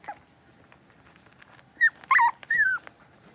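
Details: Six-week-old blenheim Cavalier King Charles Spaniel puppies, a litter of five kept in a home puppy pen, give three sharp, high whimpering yelps in quick succession, each sliding downward in pitch, after a quiet stretch with faint shuffling.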